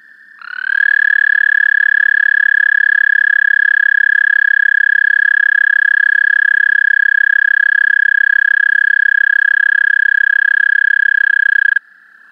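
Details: American toad song picked up with an amplified mono parabolic microphone: one long, steady musical trill, even in pitch and volume, held for about eleven seconds before stopping abruptly. No other sounds.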